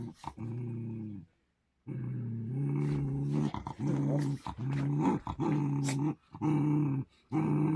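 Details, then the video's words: Two Poodles at home squabble with strange noises, a series of low, droning, moaning growls, each lasting about half a second to a second, repeated almost continuously with short breaks, some with a rougher, wavering edge. "이상한 소리 내며 투닥대는"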